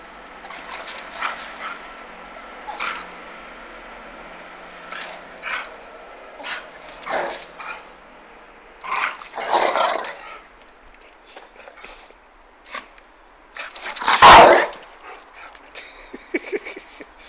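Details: Two dogs, a female Rottweiler pestering a male Staffordshire bull terrier called Alfie, long-time friends: scattered short barks, whines and growly vocal bursts in uneven clusters, one loud sharp bark near fourteen seconds standing out.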